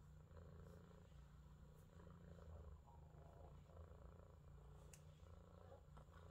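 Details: A blue Scottish Fold male cat (Felis catus), born 06/28/22, purrs in a low, steady, rumbling drone.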